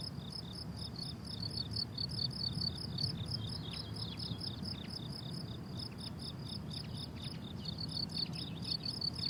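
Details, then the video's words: Crickets on a summer meadow in bloom keep up continuous high, pulsed chirping, while faint short downward-sliding notes join in from the middle onward, all over a low background hum. "Relaxing Cricket Sounds on a Summer Meadow"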